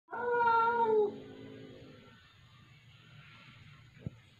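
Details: An indoor domestic cat, upset by a newly arrived tortoiseshell cat in the household, gives one loud, drawn-out, slightly falling meow lasting about a second. Quiet follows, then a single sharp knock, filmed 15 January 2022 at 8.13 pm.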